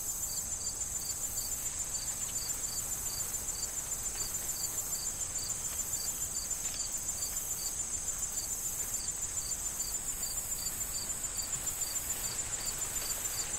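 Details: Crickets calling in a fall corn field, a sustained series of short high chirps repeating nearly three times a second without pause, over a continuous high insect buzz and light wind rustling the corn.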